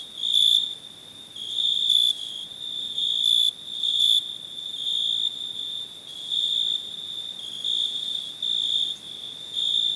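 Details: Cricket chirping in clear, high-pitched bursts, each lasting about half a second and repeated irregularly over a steady background trill, with faint harmonics above.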